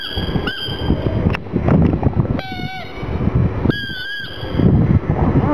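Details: Gong Fu, a black pug mascot, crying out of sadness for a little ball: two short, high, tonal whines, one bending upward and one steady, over a constant low rumbling background.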